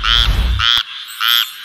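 A frog repeats brief, bleating croaks, each lasting a fraction of a second with a hard, reedy edge. Low rumbling background noise sits under the first calls.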